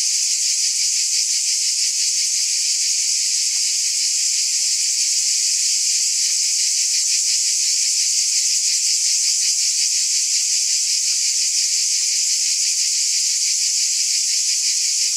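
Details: Many cicadas buzz together in a constant, hissing high drone. A subtle fast flutter runs through the sound, and the level stays unchanged over the whole stretch.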